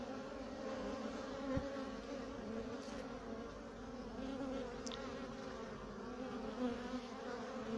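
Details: Honey bee drone (male) flying around its keeper, wings somewhat chewed: sustained humming buzz with wavering harmonic layers, broken by a few faint clicks and taps.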